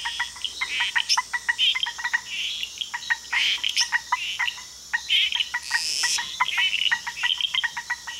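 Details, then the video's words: Costa Rican frogs calling together, many quick clicking notes in bursts, over a constant high buzzing hum, with a brief loud rasping sweep near the middle. "Costa Rican Frog Chorus"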